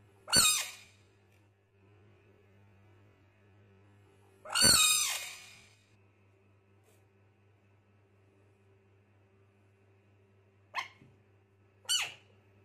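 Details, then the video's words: Screaming frog during a fight: two loud harsh cries several seconds apart, then two shorter sharp yelps near the end, with a low electrical hum throughout and quiet gaps between calls. "Amazing frog best fighters screaming"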